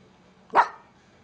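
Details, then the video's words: Pepper, an angry Miniature Pinscher kept as a pet, gives a single sharp, loud bark indoors, a brief explosive burst followed by near silence. "Pepper The Angry Min Pin Kills!"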